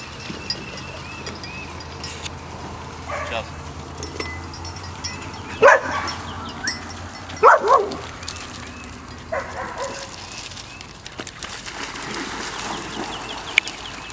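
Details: Biscuit Bentley puppies at playtime give a few short, sharp yips and barks, two loud bursts close together near the middle and fainter ones around them, over soft household noise with people talking.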